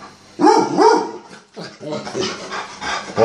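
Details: Jake, an annoyed Gordon Setter being called for walkies, gives two short wavering, rising-and-falling vocal moans. A person keeps calling "walkies" in the background.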